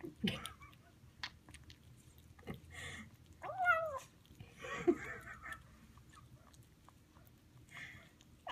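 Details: A Highland Lynx kitten, about two weeks in, gives a brief, falling mew, like a purr and meow mixed, amid soft smacking and chewing noises while eating a chicken dinner.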